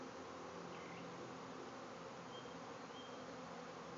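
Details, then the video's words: Swarm of bees emerging from a hive and filling a backyard, heard as a constant low droning buzz; a couple of thin, faint bird whistles sound in the background. "Bees swarming out of a hive"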